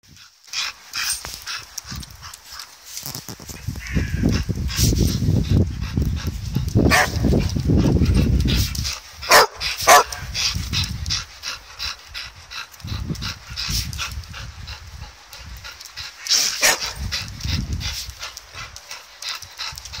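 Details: Two dogs, Jed and Kal, barking excitedly while playing with a ball; sharp broadband barks come in irregular bursts over heavy low rumbling and handling noise, loudest in the middle stretch.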